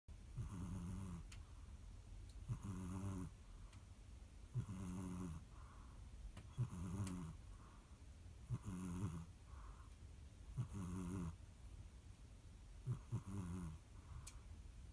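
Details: Sleeping cat snoring steadily, each breath a low, rasping, harmonic rumble with a softer exhale after it, repeating about every two seconds in a slow, even rhythm through the whole stretch, with no other sounds standing out.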